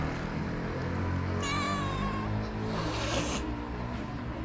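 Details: Hungry stray cats in Morocco crying for food while refusing to share it: one long wavering meow near the middle, set against a constant low droning background with faint musical tones.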